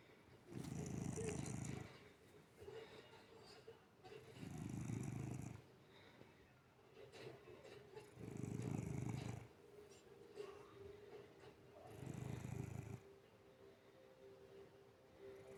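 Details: House cat dozing with its eyes open snores steadily: four throaty, rumbling snores spaced about four seconds apart, each a little over a second, with a low hum in the room.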